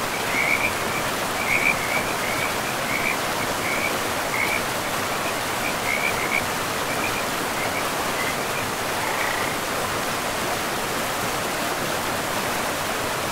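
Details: Frog calling beside a river in a forest: short trilled bursts, high and rattling, come repeatedly through the first half and again later, over a constant broad rush of flowing water.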